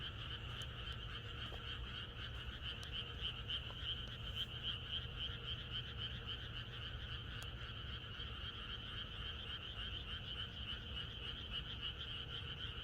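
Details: Many frogs calling together in a rural setting the night before rain, a constant shimmering mass of quick croaks, with a few faint clicks scattered through and a soft low hum beneath.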